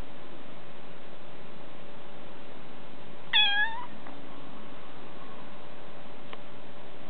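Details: Bengal kitten, one of two sisters lounging indoors after eating a snack; a single clear harmonic meow lasting about half a second, bending downward at the end, over a quiet room with a constant faint hum.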